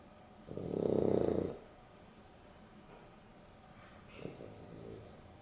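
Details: Afternoon nap of two dogs, Dexter and Rio, a Boston Terrier and a Beagle cross, with Dexter's snoring: one loud, drawn-out rattling snore lasting about a second, followed by quieter breaths and a small snort.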